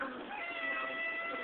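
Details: Pet cat, female, talking to her owner about going outside: a long, drawn-out, wavering meow lasting over a second, steady and nasal, in a small indoor room, with the owner repeatedly asking what she wants.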